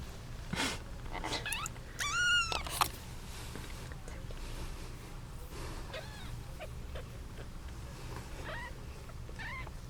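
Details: Eight kittens, seven female and one male, squabble over their 8-month-old mother cat. Thin high mews with stacked overtones: a loud arched pair near two seconds, then scattered shorter rising mews, over soft clicks and a low background hum.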